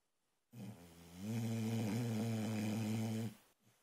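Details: A female Boxer puppy snores in her sleep, a short snort opening into a long, throaty, rattling snore near three seconds long, steady in pitch before fading, with soft breathing after.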